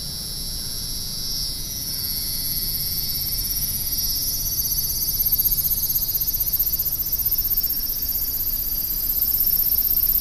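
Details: Cicadas singing in a big city, a loud shimmering buzz high in pitch with a fast pulsing texture that swells slightly toward the end, low urban traffic rumble beneath.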